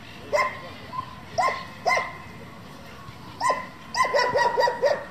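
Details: German Shepherd, a breed raised for breeding and competition, giving single clear barks spaced about a second apart, then a quick burst of five rapid barks near the end. Faint background noise underneath.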